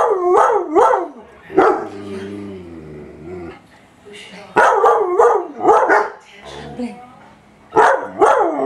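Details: A German Shepherd and a shepherd/husky mix go after a vacuum cleaner indoors, giving loud harmonic barks in bursts at the start and end, with a drawn-out lower howl-like whine in between and a steady machine hum underneath.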